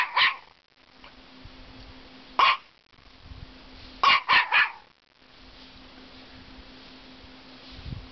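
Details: Norfolk Terrier bitch scolding a caterpillar beneath the deck at a cottage; a single bark, another after two seconds, then a rapid triple bark, followed by quiet with a low steady hum.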